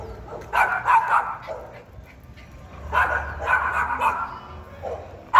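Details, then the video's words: Loud, fierce barking from a Pinscher, delivered in two clustered bursts of rapid, harsh barks separated by a brief pause, with a final sharp bark cut off at the end. "Pinscher Latindo Alto e Bravo 🐕 Som do Latido de Cachorro Pincher"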